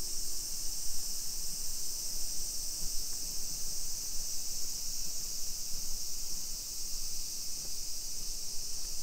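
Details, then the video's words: Cicadas in summer in a suburban neighbourhood of Nisshin city near Nagoya, Aichi, Japan, at 2 PM on 28 July 2021: a steady, dense, hissing high buzz that never pauses, over a faint low street rumble. "Summer Cicadas Sounds"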